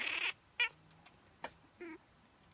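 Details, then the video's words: Female house cat Miez reacting to a human sneeze, which she does every time: a loud opening burst and two sharp clicks are followed by one short, clipped meow with clear harmonics indoors. "Cat strange reaction to human sneeze"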